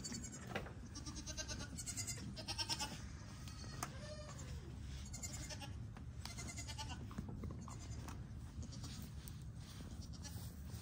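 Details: On a Knoxville, Tennessee farm, newborn pygmy goat kids join the herd, giving quick high-pitched quavering bleats clustered in the first seconds, then fainter calls over a constant low hum.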